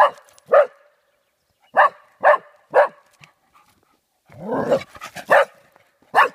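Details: Frightened golden Cocker Spaniel in Dalby Forest, Yorkshire, barking at a cardboard cutout: a rapid run of sharp barks, a short break, a rough noisy outburst, then more single barks.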